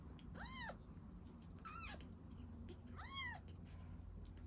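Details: Rescued baby kitten drinking milk, giving three short arched meows about a second apart, each rising then falling with bright harmonics, over a low steady indoor hum.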